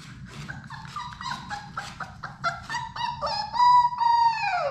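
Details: Sadie's litter of six Labrador Retriever puppies is at play in a puppy play room. Short, choppy whimpers step up and down, then settle into longer steady whines that finally slide downward, with faint scuffling underneath.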